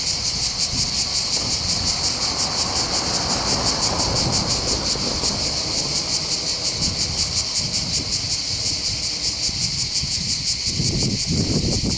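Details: Chorus of cicadas on the heights overlooking Bandol harbour, Var, southern France, Mediterranean coast. A steady, piercing high-pitched drone throbs quickly and without pause, with gusty low wind buffeting underneath and some surf-like rushing.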